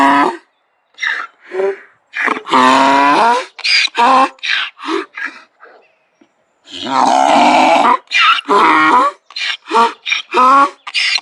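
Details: Donkey bray in bursts: rough, grunting honks alternate with strained higher wheezes, with a short pause midway before a loud, sustained heaving section resumes the hee-haw rhythm.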